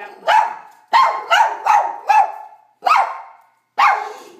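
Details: Household poodle and papillon with a barking problem, recorded before training: six or seven sharp, loud barks over about four seconds, some in quick pairs, with short gaps between.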